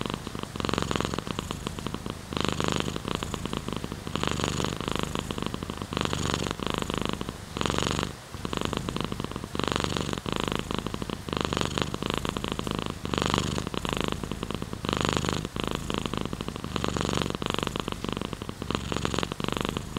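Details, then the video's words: Long, unbroken purring from a domestic cat: a low buzzing rumble pulsing in regular breath-linked surges roughly once per second, one brief dip near the middle, and a light steady hiss underneath. "Sleeping with Purring Cat in Your Arm | Rain Sounds, Cat's Purr"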